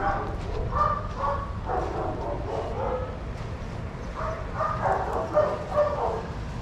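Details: Playing daycare dogs, adoptable shelter animals, let out overlapping barks and yips in uneven groups, a few sharper yelps near the end, over a low steady hum.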